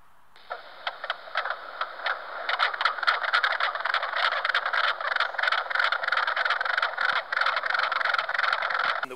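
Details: Mink frogs at a spring wetland give rapid, knocking clucks, like hollow tapping on wood, in a busy overlapping chorus.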